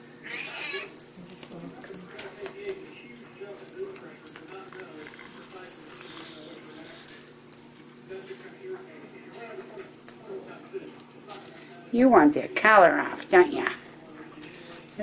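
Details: Young Bengal cats playing with a teaser toy indoors; near the end comes a brief burst of wavering, rising-and-falling meows, heard over a person talking, soft rustling and a steady high-pitched tone.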